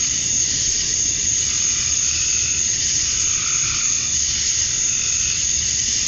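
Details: At summer dusk in Georgia, USA, male cicadas chirp to draw females, making a continuous high sizzling drone. Faint, softer mid-pitched pulses surface midway through over a low background murmur.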